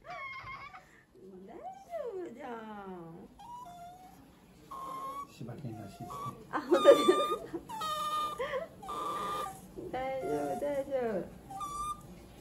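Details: Choco, a male Shiba Inu puppy born October 2020 in Aichi, cries at the vet during his second vaccination visit while his temperature and heartbeat are checked. High, wavering wails and whines rise and fall in harmonic bursts, with louder screams mid-clip.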